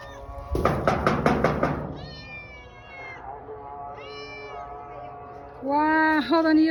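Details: Somali cat recorded in Hargeisa: a burst of rapid knocking opens, then a series of drawn-out meows, the last ones loudest with a dipping, wavering pitch, against a steady background tone.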